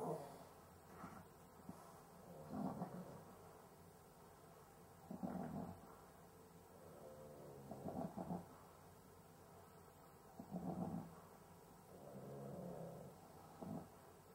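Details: A Cavalier King Charles Spaniel asleep, breathing with difficulty: heavy snoring, snorting breaths rise and fall roughly every two to three seconds, some rattling and wet, with short quiet pauses between, indoors with faint background hum.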